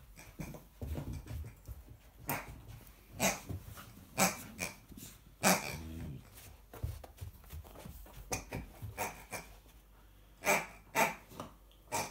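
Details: American Akita puppy facing off with a pig indoors, low rough growls interrupted by scuffling, clicks and short sharp sounds.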